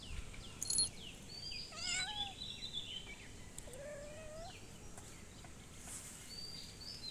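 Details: Ginger cat giving drawn-out, wavering meows, one rising then leveling off and lasting close to a second, over outdoor background with faint high bird chirps.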